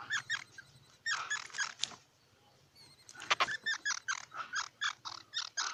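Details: Squirrel chattering in quick harmonic bursts, rapid series of short squeaky pulses, a brief pause near the middle, then a steady run of evenly spaced chirps to the end; faint low hum underneath.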